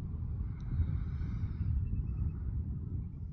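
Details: Deep rumbling engine or wind noise fills the stretch, with a faint high whine, and no animal voice heard.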